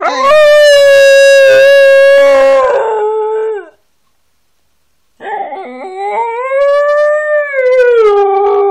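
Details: Loud, sustained Siberian Husky howl with rich harmonics, held level for over three seconds and dropping at the end; after a silent gap, a second long howl arches up and slowly falls.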